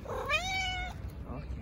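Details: Stray tuxedo cat being petted in a park in Istanbul gives a single clear, drawn-out meow lasting under a second, rising then holding steady, with a faint shorter call after it and a woman's soft voice nearby.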